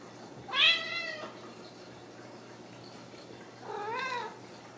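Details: Ragdoll kittens raised loose in a home cattery in central Kansas, not caged: two clear harmonic meows, the first longer and higher-pitched, the second shorter with an arched rise and fall about three seconds later, over a quiet indoor hum.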